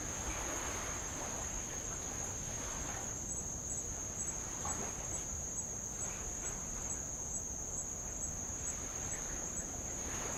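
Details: Tongan insects around Avalau island keep up an even, thin, very high continuous buzz with slight pulsing above it, accompanied by quiet lapping of light waves on old lava.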